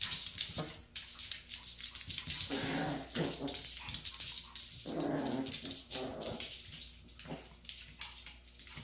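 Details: Maltese dog doggedly going after its tail, letting out a string of short rough growls and whines, several louder bursts mid-way, over constant scuffling and rustling of movement.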